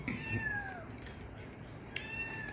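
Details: Pet cats at feeding time indoors: a thin, drawn-out meow that slides downward, followed by a second faint falling meow, over steady room hum.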